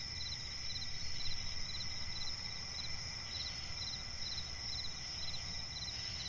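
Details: Night swamp forest with crickets: quick bursts of pulsed chirps recur at a steady pace above a constant shrill insect drone, with a low background rumble throughout.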